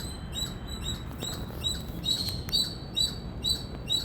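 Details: Brief run of piercing, high squirrel chirps from an Indian squirrel, evenly spaced about every half second, with a couple of soft clicks and low background noise.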